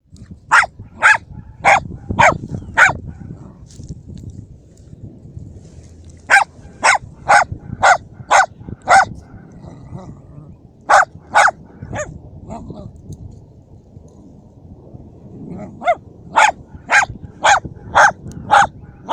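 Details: Dachshund named Szogun, a hunting dog, during a hunt in which it kills a mouse; sharp broadband barks in rapid bursts of five or six, with pauses between volleys, over low rumbling background noise.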